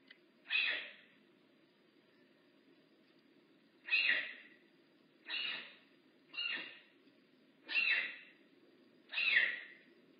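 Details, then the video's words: Rehab bobcat Makani at Big Cat Rescue calls six times in ten seconds. Each call is a short, raspy, mew-like burst, and the calls come roughly every one to two seconds against a quiet, humming background. "Lookit! I haz a voice! Makani rehab bobcat at Big Cat Rescue."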